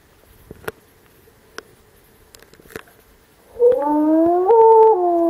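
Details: Wolf howl recorded in 2014 in the Alpi Apuane park, where pups answered broadcast recorded calls: a few sharp clicks, then a smooth tonal howl begins past three seconds, rising in steps and holding a steady pitch to the end.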